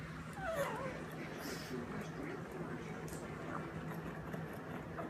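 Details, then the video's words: Bambi, a female family pug, whines while she eats; a short, thin, wavering whine rises and falls early on over steady low indoor hum and soft chewing noise. "Bambi Our Lovely Pug makes whining noise while eating"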